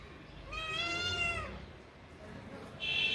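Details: Friendly kitten at play while climbing a tree: one drawn-out meow of about a second, steady then falling at the end, with a short high-pitched squeak or noise burst near the close.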